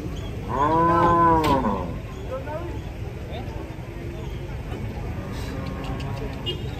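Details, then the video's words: Cattle stepping down from a truck in Indonesia; one loud, flat, richly harmonic moo lasting about a second and a half, followed by quieter shuffling and a low humming background. "KUMPULAN SAPI LUCU UNIK TURUN DARI TRUK"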